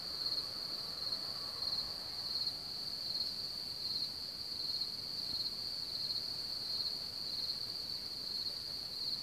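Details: Crickets from one of the largest cricket populations in Bohemia, around Hamr near Chlum u Třeboně, Czech Republic: a dense, steady high-pitched chorus with a continuous ringing trill and overlapping chirp pulses, over faint low background rumble.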